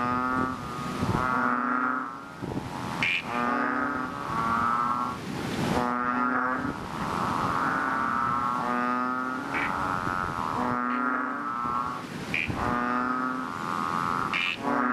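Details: Several chubby frogs (ox frogs) in a rain-filled fishpond giving loud, deep, harmonic bleats in a continuous overlapping chorus, calls of about a second coming one after another with brief sharp clicks between.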